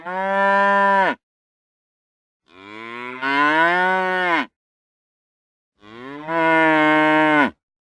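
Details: Real cow giving three separate, loud, rich moos, each lasting one to one and a half seconds, with roughly a second of silence between them. The second moo starts softer, then jumps in volume.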